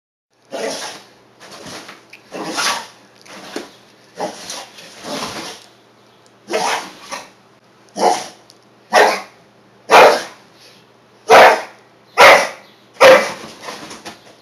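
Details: Two American Staffordshire Terriers, Basse and Tessi, playing together in 2012; loud, sharp barks come in an uneven series about once a second, some with a rough growly edge, with short pauses between the bursts.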